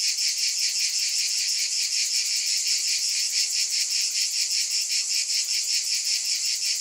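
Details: Cicadas in a dense, unbroken chorus: a steady high-pitched buzz that throbs in quick, even pulses, nearly three per second, with no other sounds.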